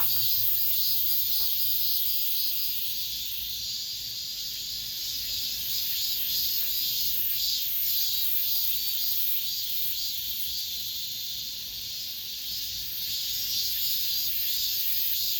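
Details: Cicadas singing in an apartment complex, the last cicada song of this summer: a dense, steady high-pitched buzzing chorus with a gentle pulsing shimmer, unbroken throughout, with a faint low hum underneath.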